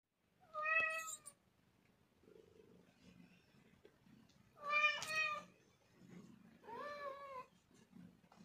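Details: Persian cats at breakfast time indoors: three clear, tonal meows, the first short and the last two longer and slightly wavering, separated by quiet pauses with faint household noise.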